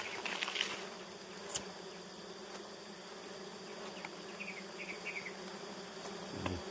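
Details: Honeybees humming at three very good nests, a continuous droning buzz with a few faint, brief chirps and ticks scattered over it.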